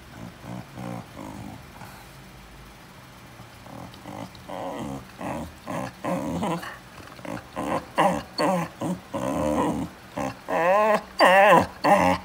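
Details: A Chow Chow interrupting its owner's reading gives repeated low growling grumbles and whiny vocalisations that grow louder and more insistent.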